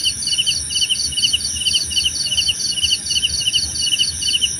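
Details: Chirping crickets, about two bursts per second, each a tight pulsed trill, alternating between two pitches. A continuous thin, high whine carries underneath the whole time.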